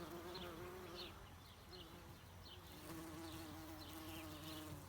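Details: Bumblebee, called a greenhouse bee, foraging for pollen on flowers. It gives a steady, low, droning hum with a clear tone that dips briefly and resumes. Faint high chirps sound in the background.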